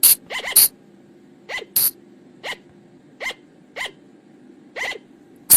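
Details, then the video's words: Forest recording of a Sunda flying lemur, used to call the animal in at night: short rasping bursts with a quick rising squeak inside each, repeated roughly every half second to second over a low steady hum. "เสียงต่อบ่างป่า หรือพุงจง,พะจง flying lemur sound"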